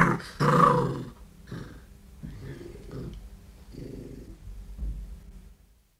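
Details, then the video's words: Close-up threat from a large eight-month-old red fox cub in London, U.K.: one loud, harsh growling burst, then a string of quieter guttural grumbles that fade into silence. "Red Fox. CU Threat Growls From A Large (8 Month Old) Cub. London, U.K"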